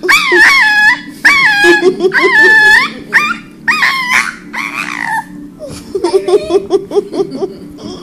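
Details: Yorkshire Terrier, a small male dog, cries to get his owner to play ball with him: loud, quavering, wailing whines in close bursts, each sliding up and down, ending in softer broken whimpers.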